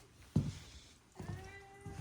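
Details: Indoor morning meow from Miss Muffy, one of four pet cats (three Maine Coons), greeting at the door as the cats gather for snacks. A couple of soft thumps come first, then a steady, level meow of almost a second, followed by another bump.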